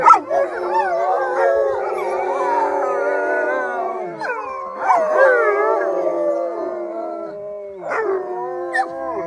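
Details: An owner's pack of eight wolves in British Columbia, Canada, the oldest a 13-year-old alpha male, howls together with the owner in long, overlapping, wavering tones that rise and fall.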